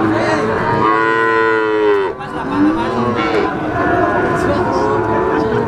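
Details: Calves of Simmental, Limousin and Pegon breeds, three months old, for sale: a long bright moo bending downward, a short break, then further fainter moos over constant background chatter.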